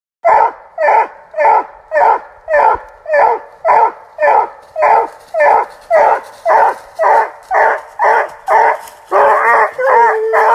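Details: A male Treeing Walker Coonhound at stud barks steadily, with loud, sharp, mid-pitched barks nearly twice a second that stretch into a couple of longer bawls near the end.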